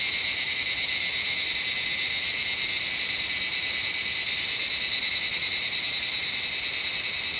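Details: Cicadas singing in the jungle of Shivapuri Nagarjun National Park near Kathmandu, Nepal: a dense, steady, high-pitched shrill drone with layered buzzing bands that holds unbroken at even loudness for the whole stretch.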